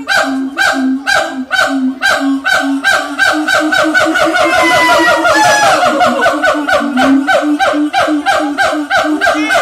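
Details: A siamang at Ragunan zoo gives loud, honking barks in a rapid series of about three per second, with rising whoops.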